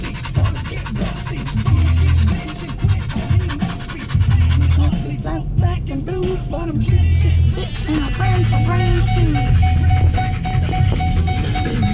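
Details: Loud music with a steady low beat and melody, overlaid with speech, recorded at a park in the rain; no animal voices are heard.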